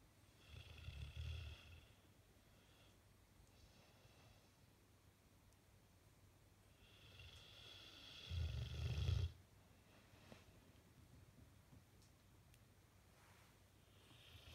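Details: A dozing Bullmastiff, face twitching, gives two widely spaced low snorts, the second louder and rougher, separated by long stretches of near silence.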